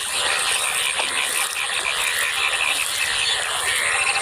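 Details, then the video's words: Yellow frogs croak together in a dense, rattling, ratchet-like chorus in waterlogged fields at Faridpur field (ward 9) during the rainy season, after rain since the previous afternoon; these frogs appear and call for only a day or two after rain. "দেখুন এবং আপনারা শুনুন ব্যাঙের কি সুন্দর মনোরম শব্দগুলো।"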